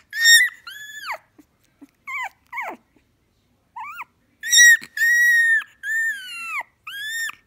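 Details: Pet Shiba Inu vocalizing indoors with high, bright whines. Short bent yelps come first. Louder sustained arching cries follow and are repeated several times in quick succession.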